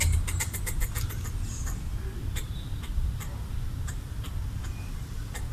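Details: Territorial red squirrel chattering to scare off a perceived threat while eating coconut bits left out for it: rapid bursts of sharp, dry clicks repeated through the clip over a steady low rumble of background noise.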